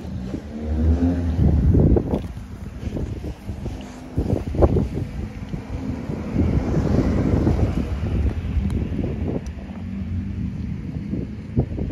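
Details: Outdoor wind buffeting and low rumbling traffic with flapping thuds dominate throughout, with no animal sound.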